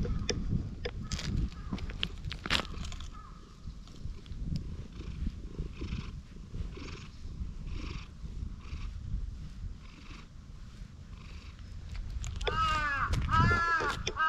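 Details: Stray cat in a park purring while being patted and stroked, recorded on a GoPro HERO8: a low, steady rumble under soft rustling and tapping of the hand, with a short run of arched, harmonic calls near the end.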